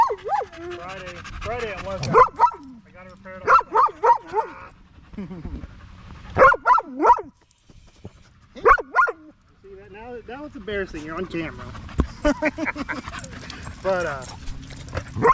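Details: Male Staffordshire Bull Terrier chatting with other male dogs at the park in the evening: bursts of arched, whiny yips in quick runs of three or four, separated by pauses and softer moaning sounds.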